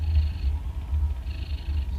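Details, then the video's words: Sleeping cats at 2:30 at night, recorded up close: a loud, continuous low rumbling snore that pulses with slow breathing, two breath cycles heard, with a faint hiss of air on each. "شخير القطط"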